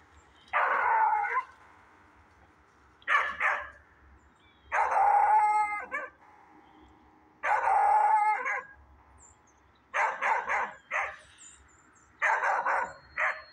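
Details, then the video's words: In the woods a dog alternates long, sustained howling notes with bursts of short, choppy barks, roughly every two to three seconds, against a quiet background. "dog barking in the woods"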